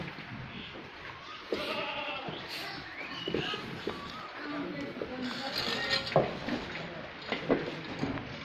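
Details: Farmed goats bleating amid a busy, noisy farmyard, with several wavering harmonic calls scattered through the clip and background voices talking over them.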